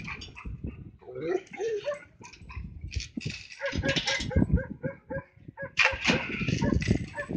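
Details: A Flat-coated Retriever barks at cows with deep, rough barks in uneven volleys, some sharp and clipped, others drawn out, while a person's voice sounds between and over the barking.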